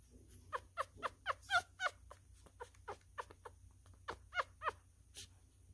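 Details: ['Messy-eating newborn miniature schnauzer puppy, male, being fed and uttering rapid bright squeaks, about three or four a second, in two runs separated by a short pause, a few rising into thin whimpers.']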